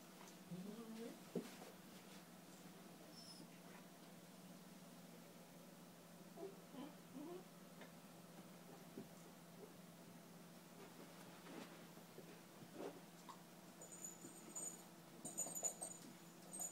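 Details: Eight-week-old German Shepherd puppy Lennon playing indoors with two-year-old white German Shepherd Sadie; soft high whimpers and squeaky whines come in short scattered bursts, with thumps of play and a faint steady hum in the room.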